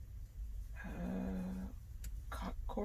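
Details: Large male trucker cat sleeping comfortably in a truck in central California, May 2020, during unloading, makes a short low buzzy growl of about one second, followed by clicks and faint human sounds.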